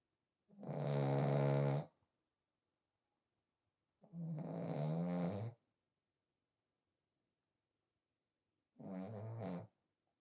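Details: Pet French Bulldog Smile, pied coat, sleeping and snoring: three rough, buzzy snore breaths roughly every four seconds, the last one shorter and softer, in a quiet indoor setting.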